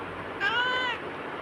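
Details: Bagira, a pet black cat, talking continuously and answering its owner, gives one clear meow of about half a second, its harmonics arching up and then gently falling, against a quiet room.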